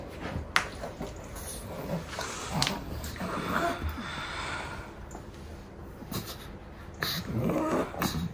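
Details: Pangpang the pug, a pet dog, snorting: irregular breathy nasal bursts spread across the clip with sharper puffs near the start and end, plus light background noise.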